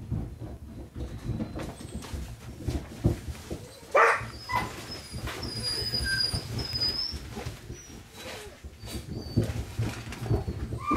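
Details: Female Dobermann puppy of good bloodline, born June 9, giving thin high whimpers and squeaky whines, a short burst near the middle and longer thin whines later, over steady low rumbling and knocking handling noises indoors.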